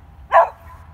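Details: Single short, loud bark from a pet beagle out hunting squirrels, abrupt and clipped, over a faint low rumble.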